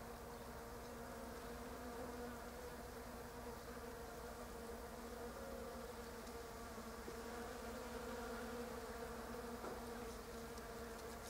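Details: Bees foraging among pink Japanese quince blossoms, flying between flowers without settling for long; a steady low humming drone with layered tones that waver slightly as the insects move about, continuous throughout.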